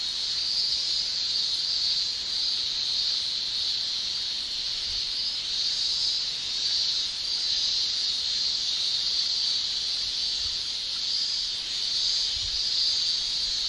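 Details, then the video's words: Summer chorus of male Japanese cicadas in Japan: a continuous shrill tymbal drone, high and hissing, pulsing gently louder and softer every couple of seconds. "Japan Summer Cicada Shrilling"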